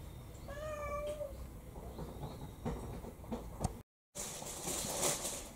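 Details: Pet cat on a rainy day, one of a home's six cats, utters a short, steady, tonal meow near the start, followed by rustling, clattering household noises and a brief gap of silence.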